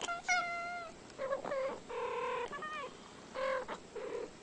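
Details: Two unrelated female cats, about ten years old, usually fighting but here calling back and forth for about an hour; a quick run of short harmonic meows and chirps, some rising, some flat and nasal, trading in bursts with brief pauses.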